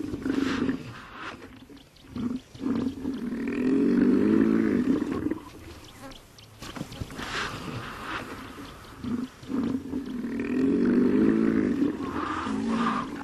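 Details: Hippopotamus giving deep, throaty honking grunts: short staccato bursts building into longer sustained bellowing phrases, the whole series repeated about six seconds later.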